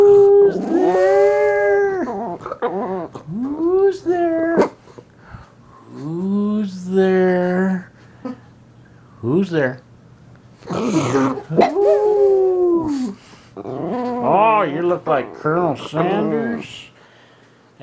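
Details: Graying female Puggle indoors howling and barking, with a black pug also present: long wavering howls rising and falling, some drawn out over about two seconds, mixed with short yips and a person talking.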